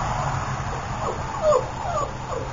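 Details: Female Boxer puppy named Tasha, AKC registered from champion lines, giving a few short, high whining whimpers that arch up and slide down, three or four in quick succession over steady low background hum.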